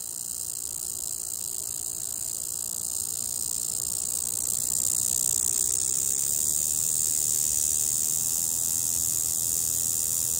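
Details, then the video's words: Magicicada tredecassini, a near-threatened periodical cicada, singing on a window: an unbroken, high, hissing buzz that swells in loudness around the midpoint and then holds steady, with no other clear sounds. "Magicicada tredecassini, singing on my windows"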